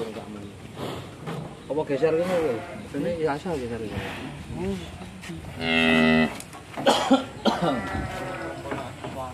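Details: Agitated cattle, one of three large animals being delivered, rope come loose and close to escaping; a loud, steady, flat-pitched moo about two seconds long rises over excited human chatter and shouting.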